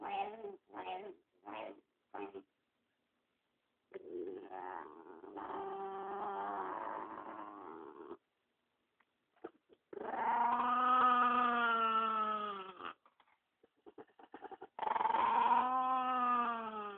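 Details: Pet dog Spumoni, guarding the dog next to him, voices several short grumbling bursts, then longer wavering moan-like growls with strong harmonics, separated by quiet gaps.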